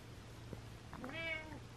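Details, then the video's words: A cranky, frustrated house cat gives a single quiet rising-falling meow over a low steady hum indoors. "Cranky Cat Meows"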